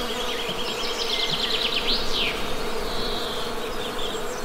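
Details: A continuous low buzz of Western honey bees holds one steady tone, overlaid by a quick series of bright, high bird chirps early on and a softer thin whistle later.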